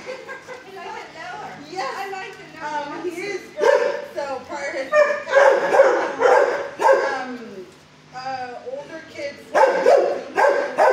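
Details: Six-year-old Fozzie Bear barks from kennel 19 at the HSSAZ shelter before calming, taking his cue from his quiet neighbour Barley. Irregular runs of sharp barks and whiny yelps overlap with speech and echoing kennel sounds.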